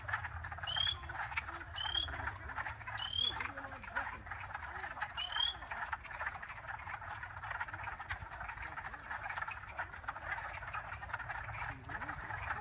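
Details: Frogs croaking in a continuous chorus of pulsed rasps, with four short high upslurred chirps at roughly two-second intervals early on and a low hum in the background.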